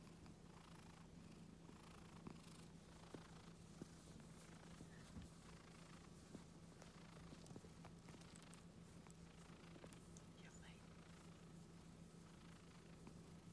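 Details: Calm, gentle Scottish Fold house cat giving a continuous quiet purr as its neck and ears are stroked; an even low hum persists for the whole stretch, overlaid with light brushing and scattered clicks.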